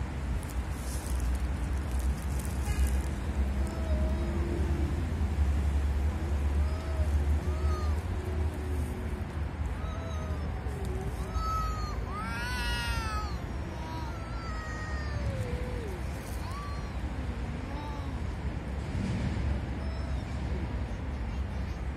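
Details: Angry cats arguing over territory: drawn-out, wavering yowls rise and fall in pitch, scattered through the recording, with a steady low rumble underneath throughout.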